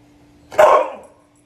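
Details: Siberian Husky barking back while its owner tells it no: a single short, sharp, mid-pitched bark in a quiet room.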